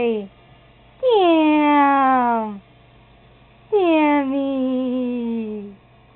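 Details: Sammy, a pet cat, indoors by a toilet he is being coaxed to flush: two long, drawn-out meows, each about one and a half seconds, starting high and sliding downward, separated by a short quiet gap.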